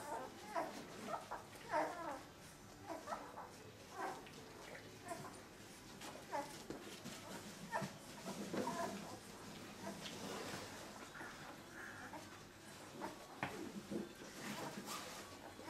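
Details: Limit's thirteen pups at two weeks old whine and squeak in clustered, overlapping cries, some drawn out and wavering, others clipped, with a few louder yelps standing out from the murmur.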